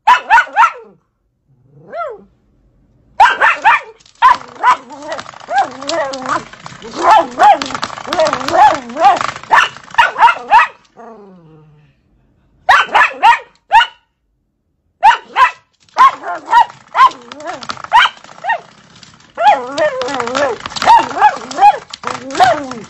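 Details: Dachshund playing and fighting with a door stopper indoors, giving loud rolling growls and grumbling barks in bursts, broken by brief pauses and a twanging spring sound.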